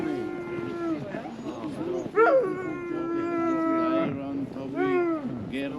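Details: Sled dog at a husky sledding tour kennel in Ogre, Latvia, in winter at about -13°C. One long, steady, mid-pitched howl is held for several seconds, with short yelping whines breaking in. People talk quietly nearby.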